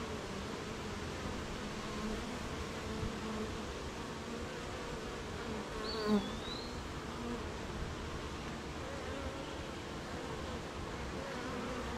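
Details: Honey bees at their hive on a rainy morning, working at making honey: steady layered hum of many bees with wavering tones, a brief close buzz at six seconds and a thin high bird whistle.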